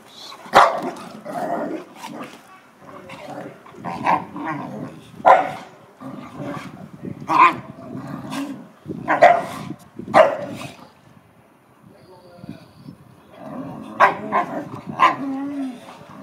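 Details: An American Akita playing with a Chow Chow, giving repeated short barks and yips roughly every one to two seconds, mixed with low growling between bursts and a brief spoken word.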